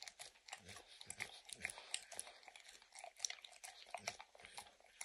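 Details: Licking and crunching as the dog Max eats peanut butter and kibble from an orange mat, with no talking: bright wet smacks repeat irregularly, with a few deeper chomps between them.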